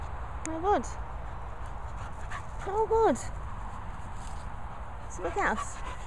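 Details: Hugo the Patterdale Terrier whines during play with a squeaky toy: three brief, tonal, arching whimpers spaced a couple of seconds apart, each gliding up then dropping, over a steady low background hum.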